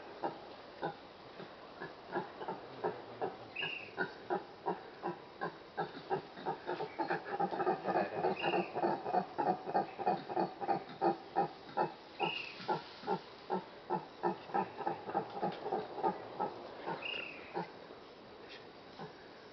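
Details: Several brown howler monkeys calling from the trees on Ilha Grande, Brazil: a long, fast chorus of rough grunting pulses that swells to a loud peak mid-way, then fades, with occasional high squeaky notes above.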